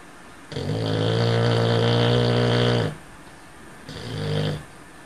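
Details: Cocker spaniel, male, snoring loudly while dreaming indoors: a long rumbling snore about 2.4 seconds with strong low buzzy harmonics, followed after a pause by a shorter, softer rising snore.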